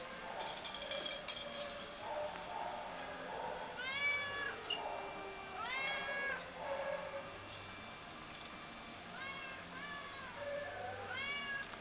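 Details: Domestic Shorthair cat up for adoption in a shelter kennel, calling four clear, arching meows spaced a few seconds apart, each rising then falling, against a constant hum with faint voices in the room.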